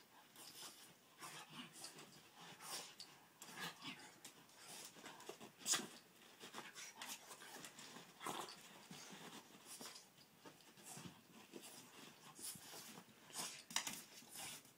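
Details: Boston Terrier named Cash Money, a pet dog playfully 'breakdancing' indoors; rapid breathy panting bursts come in irregular, noisy puffs throughout, with scuffling between them.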